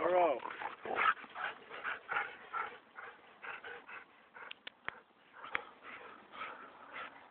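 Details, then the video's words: Standard Poodle and Golden Retriever play-fighting indoors, a dense run of growls and short barks rising and falling in bursts, with a few sharp clicks and voices mixed in. "Dog Fighting"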